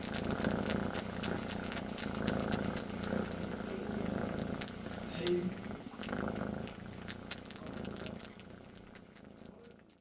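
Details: Very young kitten missing its mother and licking its brother's ear instead; a continuous low purr underlies rapid wet licking clicks, with quiet human speech nearby.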